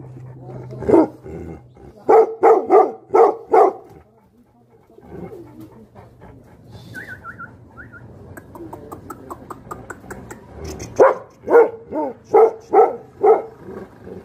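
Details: Tibetan Mastiffs (Bhote Kukur) barking angrily. Two bursts of rapid, evenly spaced barks, five or six in each, frame a quieter stretch holding softer barking and a brief high chirping sound, with a low hum underneath.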